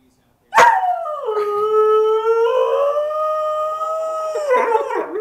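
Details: Male pet dog with a sustained howl: a single long, clear, even tone with rich overtones that holds for over four seconds, bending slightly upward before breaking into short wavering notes.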